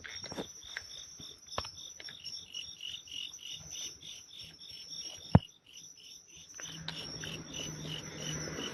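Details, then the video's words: Midnight insect chorus of natural insects, a high pulsing chirr running steadily through the clip, broken by sharp knocks and handling sounds, with a low hum rising near the end. "the sounds of natural insects at midnight"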